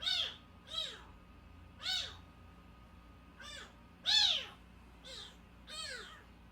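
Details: Tiny milk-fed kitten, under a month old and brought in after crying at a house gate, repeats seven sharp, shrill mews in a quick, irregular series, some louder and longer than others, with a low steady hum behind.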